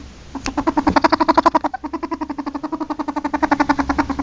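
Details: A ferret (Mustela furo) gives a fast, steady run of soft clucking pulses, like a rapid chuckle.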